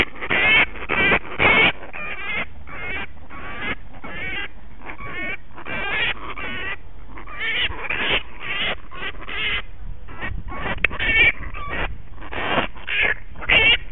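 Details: Bat named Punch, tangled in rose bushes in a suburban backyard and trying to bite after a fight with a dog, gives a steady stream of harsh, grating screeches, several per second, with a woman speaking softly at times.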